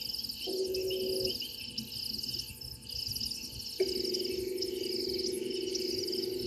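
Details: Frog at Gowrie dam, Djuma Game Reserve, Sabi Sand Wildtuin, South Africa, picked up by a live waterhole camera microphone at 04:02 on 03/06/2023: a low, steady droning trill, first a brief burst, then a long sustained call, over a shrill insect chorus.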